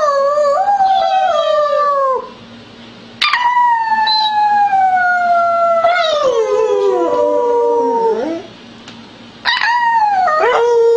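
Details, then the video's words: Female Beagle, adopted from a shelter, recorded in spring 2009 howling loudly for one of her first times when asked to sing before going outside: three long, wavering, mid-pitched howls, each sliding gradually downward over two to five seconds, separated by short pauses. "Beagle Howling/Singing Loudly"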